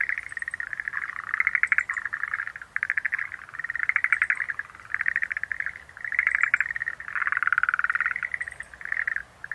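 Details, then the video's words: Several Schlegel's green tree frogs call together in loud pulsed rattling bursts that swell and fade in waves every second or two, with faint high chirps above them. "Sounds of nature scenery-Rhacophorus schlegelii"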